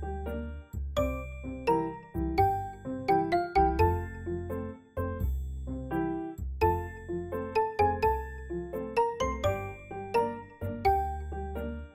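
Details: Bright glockenspiel-like chimes and bell tones play a light repeating tune over soft bass notes; no animal sound is heard.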